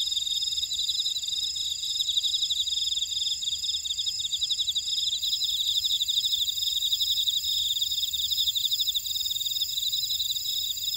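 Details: Insects chirping in a buckwheat field at Orai-dong, Jeju City, on Jeju Island, South Korea: a dense, steady high-pitched chorus of rapid pulsed trills layered with continuous whining tones, with no other sounds.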